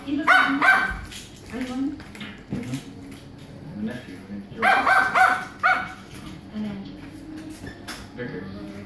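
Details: Small dog playing with his toy one morning; bursts of high yapping barks near the start and middle, separated by quieter whines and a person's speech.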